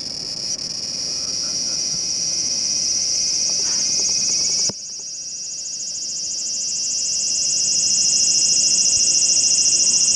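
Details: Large brown cicada perched on a home window screen, recorded 2 August 2012: a continuous, harsh, sizzling buzz with a fine rapid pulsing, swelling gradually louder, dipping briefly midway, then building again to its loudest at the end.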